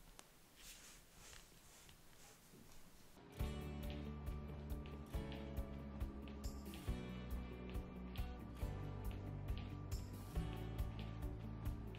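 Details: A few seconds of faint room noise, then rhythmic background music with a steady beat and layered tones, and no animal sounds.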